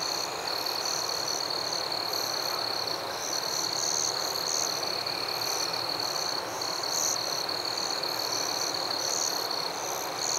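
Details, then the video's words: Crickets calling in a forest after dark, a sustained piercing trill overlaid by rapid chirp bursts recurring about once a second throughout, against a steady background hiss. "Crickets at Night"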